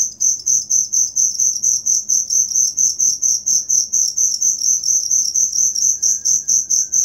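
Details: Steady cricket song for teaching songbirds: bright, high pulsed chirps at about two per second, unbroken and even, over a quiet background with a faint low whistle late on.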